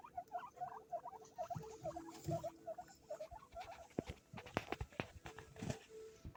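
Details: At Hana Pet in Sapporo, Hokkaido, a shop devoted to guinea pigs, baby guinea pigs give a quick series of bright chirping squeaks, about three per second at first, then fade among tapping and rustling noises.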